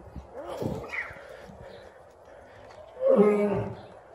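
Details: A captive lion at Franklin Park Zoo gives a double roar. After faint murmuring, one loud, rough, deep roar lasts under a second near the end.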